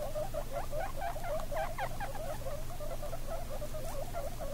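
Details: Guinea pig babies, 17 days old, beside their mother, making quick rippling squeaks that rise and fall in a fast chattering series over a faint low hum.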